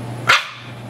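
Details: Dog barking while playing with its ball: one short, sharp bark with a bright, harsh burst, over a steady low hum.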